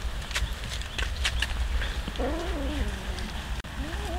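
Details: Cats fed raw fish, many hungry animals together; a drawn-out, slightly wavering meow slides downward, then a short rising mew begins near the end, amid clicking feeding sounds and low background rumble.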